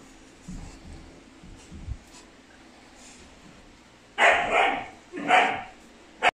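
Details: Four wooly Siberian Husky puppy brothers give two loud, rough, yelping barks after a quiet stretch, then a brief third yip.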